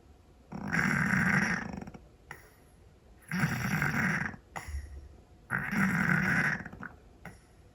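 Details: Scottish Fold cat asleep indoors, snoring loudly: three long, rough, rattling inhalations of about a second each, repeated roughly every three seconds, with faint quieter breaths between them in a quiet room.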